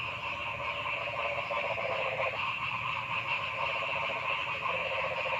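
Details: Many frogs calling at once in a forest, a dense, steady chorus of rapid pulsing croaks with no pause.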